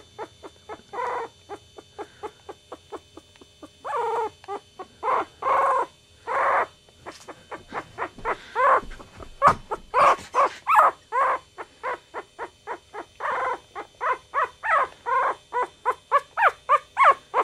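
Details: Chihuahua puppies, from a litter linked to Goofy Rodriguez jr., Coconut and Chichi Rod, give a long string of rapid, short squeaky yips. They come several per second in bursts, some louder and longer, with brief pauses.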